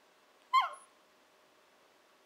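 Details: Nanako, a 14-15-week-old Shiba Inu puppy, "talking" indoors as she often does when wanting breakfast or dinner; one short falling whine with bright harmonics, then quiet room.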